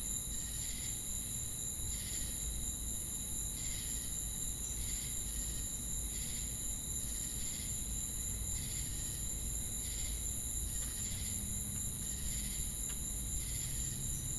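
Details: Insect chorus of crickets and cicadas: a constant piercing high hiss overlaid by rhythmic buzzy chirp bursts, roughly one every 0.7 seconds, continuing evenly for the whole stretch.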